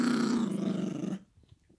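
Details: Yorkshire Terrier puppy growling while playing tug with a toy; one steady rasping growl just over a second long, then it stops abruptly into near silence.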